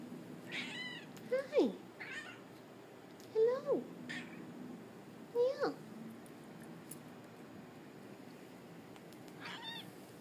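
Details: Domestic Shorthair cat at an adoption shelter, meowing indoors: three short falling meows about two seconds apart, then a faint fourth near the end, with a person talking softly in a small room.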